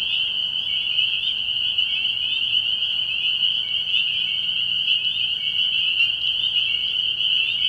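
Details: Spring peepers calling at night from a frog pond early in the year: a dense, unbroken chorus of high, shrill peeps merging into a steady ringing band, with a faint low hum underneath.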